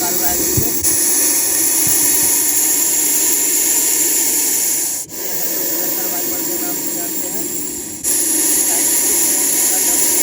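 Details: Angry Russell's viper, rescued in Munger district, Bihar, coiled in an S-shaped strike posture and hissing loudly when it feels threatened: a harsh, steady, airy hiss runs in long blasts broken by two brief pauses, with a man talking nearby.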